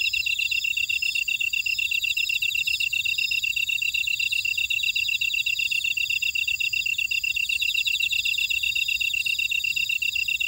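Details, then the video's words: Grass insects calling in a buckwheat field, Oradong, Jeju City, South Korea; a thick wall of fast, regular chirps, a bright steady tone with buzzing trills higher up that rise and fade in waves. "제주 메밀밭의 풀벌레 소리"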